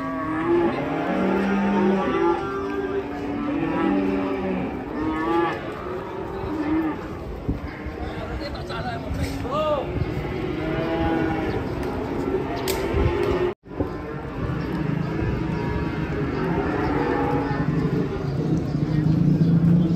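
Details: Cattle being unloaded from a truck, lowing repeatedly: drawn-out, low, harmonic moos, some overlapping and wavering, over steady crowd and engine noise, with a brief break in the sound midway.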